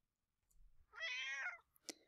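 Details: A domestic cat gives a single harmonic meow that rises and falls, ending in a brief click, articulated with an opening-closing mouth gesture; cats meow when they want attention or help.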